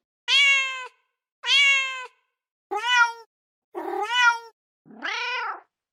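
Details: Mother cat calling for her kittens: five clear harmonic meows, the first two long and level, later ones shorter with rising-falling bends, the last lower and hoarser, spaced roughly one second apart in a quiet room.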